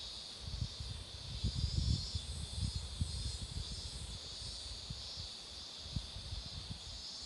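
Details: Cicadas singing beside a road where marigolds are in full bloom: a steady, continuous high buzzing drone throughout, over irregular low rumbling thumps and background noise.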